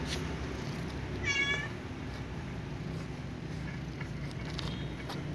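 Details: Ginger cat eating fried tofu alongside a white cat: one short, bright meow with a wavering tone early on, over a loud constant low rumble and a steady high hiss.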